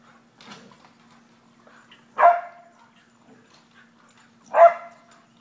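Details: Ellie and Booker, English Springer Spaniels, react to a squirrel in their yard with barks: two loud, harsh barks about two seconds apart, preceded by a softer yip, over a low steady hum.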